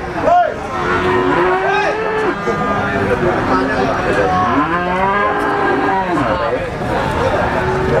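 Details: Pegon cattle, black, at the Blitar cattle market in East Java; several drawn-out, wavering moos rise and fall over a steady hubbub of market chatter and other cattle.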